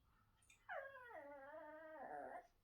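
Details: Trained Chihuahua mildly threatening its owner, who is eating and refuses to share, indoors: a drawn-out, wavering whine with stacked harmonics that slides down, holds level, then rises and wobbles for about two seconds before stopping.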